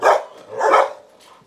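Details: Belgian Malinois kennel in Saigon, home to a mother who gave birth to ten puppies; a dog lets out two loud, rough barks roughly half a second apart, then a faint trailing yelp, with quiet room sounds.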